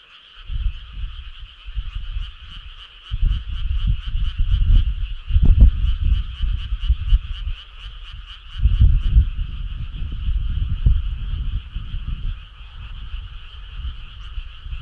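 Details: A chorus of frogs on a midsummer night, continuous rapid pulsing trills held at an even pitch, overlaid by loud, irregular low thumping rumbles that surge around the middle and again later on.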